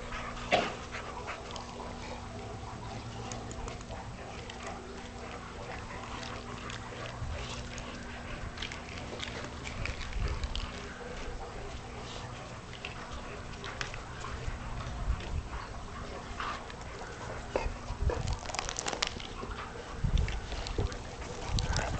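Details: Four Cane Corso puppies, Ballera, Barinda, Borano and Carmela, aged five and a half months, playing in a backyard; scuffling and panting with soft whimpers, sharper bursts around ten, eighteen and twenty seconds over steady low background hum.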